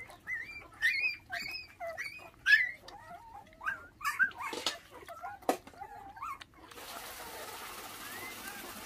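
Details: Orphaned puppies, five in the litter, whose mother was stolen by dog thieves when they were six days old and who are now raised on bottled milk, give repeated high, upward-curling whines about a second apart, followed by a steady hiss.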